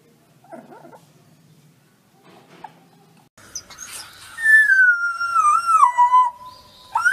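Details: Wolf pup giving a single tonal howl that slides down from high to lower pitch, then levels off and fades. It comes after a few seconds of faint, scattered sounds, with a brief rising squeak at the end.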